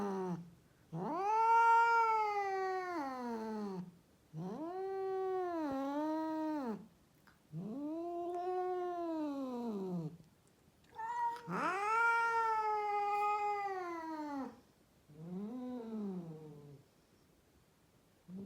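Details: Female cat, one of many rescued in Mumbai, India, calling in a run of long, wavering caterwauls, six drawn-out moaning wails with dipping and rising pitch, the last fainter and shorter, indoors.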